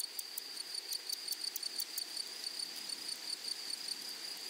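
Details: Grasshoppers in a flowery meadow or prairie: a steady, high, ringing insect buzz with fast rhythmic pulsing of about three beats per second, a continuous shrill tone over quiet background hiss.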